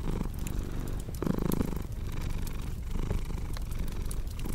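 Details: Purring cat, a deep rumbling drone rising and falling in breath-length waves, with scattered crackling fire pops over it.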